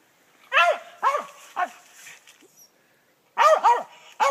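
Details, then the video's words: Treeing a gray squirrel in South Georgia, a squirrel dog gives three rough barks, falls briefly quiet, then resumes with a quick doubled bark and another, each bark falling in pitch. "treeing a South Georgia gray squirrel"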